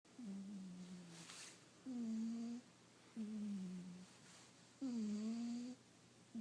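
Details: Sleeping house cat snoring contentedly indoors: low, nasal, tonal snores lasting under a second, sliding slightly in pitch, recurring about every two to three seconds with quiet pauses and a faint steady hum.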